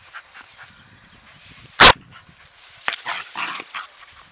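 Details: Dog barking while playing as a ball is kicked for her, before she takes her toy; one sharp loud bark mid-clip, followed by softer scuffling and rustling.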